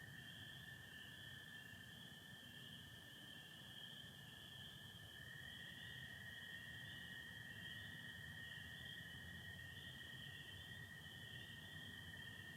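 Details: Michigan spring night, April 24, 2025, with stars, satellites and partial overcast: a continuous shrill chorus of spring peepers holds throughout, while American toads give a lower, drawn-out trill that shifts to a new caller around five seconds.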